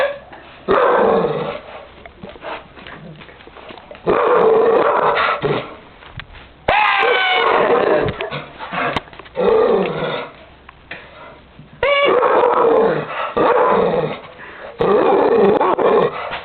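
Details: Several dogs barking and growling in repeated bursts of about one to two seconds, separated by short quieter gaps, while a boy screams at them; human voices mix with the harsh, noisy barks throughout.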